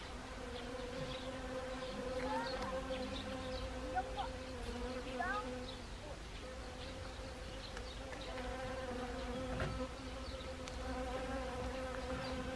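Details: Several honeybees foraging on Siberian chrysanthemum flowers in autumn, Gangwon Province, South Korea, 1 October 2020; a steady, droning hum with layered overtones, buzzes overlapping and wavering in pitch as bees fly close and away.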